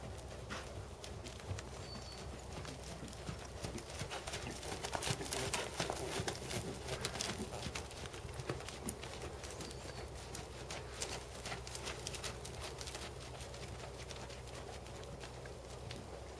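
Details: A black Percheron/Thoroughbred gelding, seven years old and 16.2, in dressage schooling: quicker clip-clop hoofbeats, around 160 a minute, loudest midway, with a faint high chirp or two and a low hum underneath.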